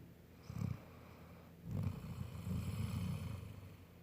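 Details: Sleeping Golden Retriever named Bella snores: a short low rasp, a pause, then a longer, drawn-out rumbling snore in a quiet room.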